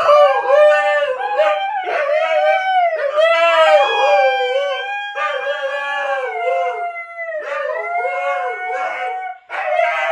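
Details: Huskies in a joint howl, begun by an excited female watching a favorite online clip and taken up by a second dog. Overlapping wavering howls, one lower and undulating, one higher and steadier, continuing almost without break.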